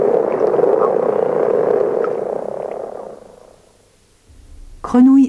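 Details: Snoring chorus of many common frogs, compared to a distant machine's hum or motocross, from a French educational field recording; the dense low purring fades out after about three seconds, followed by near silence and a brief spoken voice at the end.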